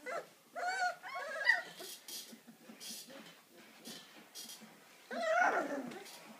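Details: Deutsch Drahthaar from a Romanian hunting-dog kennel near Bucharest, uttering short tonal whines and yelps near the start, quieter rustling and shuffling through the middle, then a louder harsh whining cry near the end.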